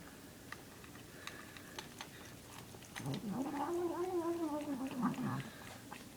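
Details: Cat making strange noises while eating: chewing clicks, then a sustained arched moan with a gargling, rough quality lasting about two and a half seconds.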